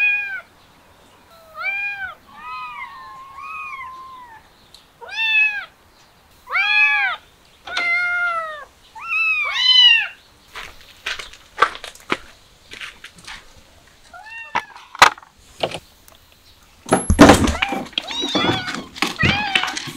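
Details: Kittens stirred up by the smell of chicken give repeated loud, arched, harmonic meows, some drawn out and wavering, followed by clattering and bumping sounds with a few more meows in between.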